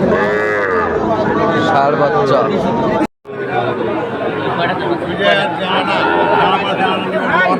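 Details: Cattle market in Comilla, Bangladesh, 14 September 2024, with bulls for sale to farmers: a long, bending moo opens, then a brief cut, then a crowded mix of lowing and haggling chatter.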